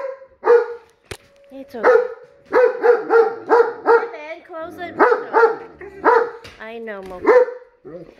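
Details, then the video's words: German Shepherd reacting to tornado sirens with repeated, evenly spaced yelping barks about every half second, interrupted by a sharp click and brief human voices. "German Shepherd vs. Tornado Sirens"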